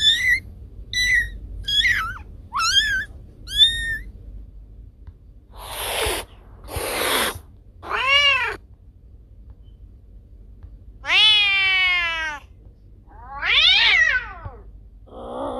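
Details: A cat's voice used to drive off rats: a quick run of five short, chirpy meows, then breathy hisses, and later longer meows that fall in pitch. Quiet gaps and a low hum sit between the calls.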